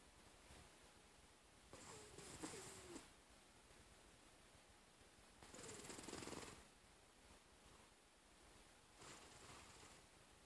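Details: Scully, a cat taking a nap, snoring: soft breathy rasps recur roughly every three and a half seconds, one carrying a faint nasal hum, over a steady background hiss.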